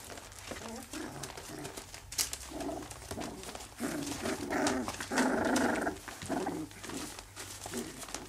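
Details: English Cocker Spaniel puppies aged 3 weeks 4 days, indoors: a series of soft whimpers and squeaky whines from the litter, a longer louder cry around the middle, with rustling and faint voices behind.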